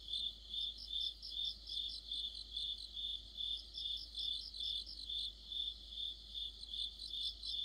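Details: Crickets and other insects singing together in the heart of autumn: high, even chirps pulse about two to three times a second in a steady pulsing drone, with several callers overlapping and no other sounds.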